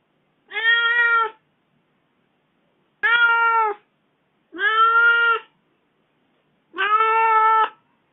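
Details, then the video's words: Kitten complaining after its owner was away from home for four days, giving four steady, evenly held meows, each about a second long and spaced roughly two seconds apart, in a quiet indoor setting. "離開家4天 小貓叫的很委屈 罵得也很髒"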